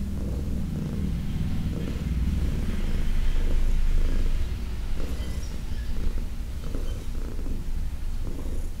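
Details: Senior female domestic cat, about fifteen years old and adopted from a shelter, purring indoors while being massaged; a deep, steady rumbling purr with a pulsing texture and faint soft rustles above.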